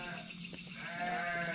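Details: A goat bleats nearby at night in the dark village of Tarikolot near the Jatigede reservoir, Indonesia: a wavering nasal cry over a steady background hum. A dog is also nearby.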